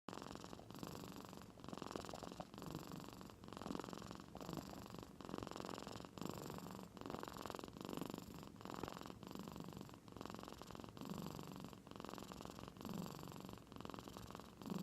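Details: Domestic cat in Aichi Prefecture, Japan, fast asleep and giving off a snore likened to an old man's, first mistaken for purring; a low buzzing rasp pulses steadily, swelling with each breath about every two seconds.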